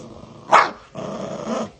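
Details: Chihuahua, a small pet dog; a sharp short yap followed by a steady, buzzing low growl lasting almost a second, with a faint hum underneath.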